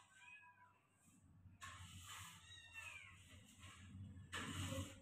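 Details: Persian cat giving a few thin, bending meows, a soft one at the start and another near the middle, half buried under broad hissy room noise and low rumble.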